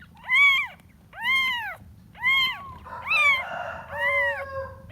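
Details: Kitten searching for its mother, meowing loudly five times at roughly one-second intervals, each cry a clear arched wail; a second overlapping cry and a steadier tone blend into the fourth and fifth meows.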